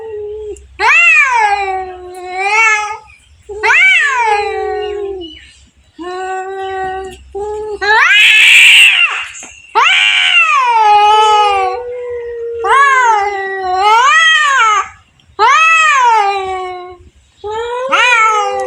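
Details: Domestic cats in a fight: a run of loud wavering yowls, rising and falling, repeated every couple of seconds, broken midway by a harsh burst of hissing and spitting, then more drawn howls.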